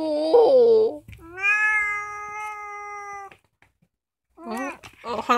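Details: Roughly two-year-old orange female house cat, the youngest at home, filmed indoors at night. It gives a short wavering meow, then a long, steady, drawn-out meow. After a pause come two more bending, rising-and-falling meows.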